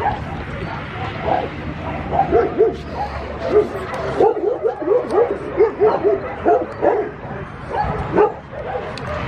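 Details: Schnauzer puppies yipping in quick series of short, high, bent notes, several per second through the middle stretch, with squeakier whimpers mixed in over a low room rumble.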